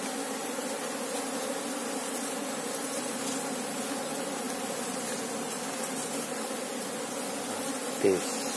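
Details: Apis cerana honey bee colony, active, during a hunt for the queen; a steady multi-bee drone fills the clip, ending with a short burst of a man's voice.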